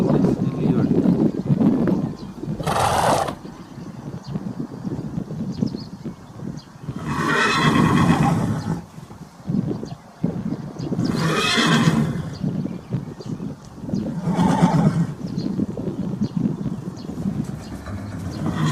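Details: Horse with its foal, described as galloping, neighing and eating. Four loud, hoarse, shaking whinnies burst out roughly every four seconds over a rumble of movement, with narration and background music underneath.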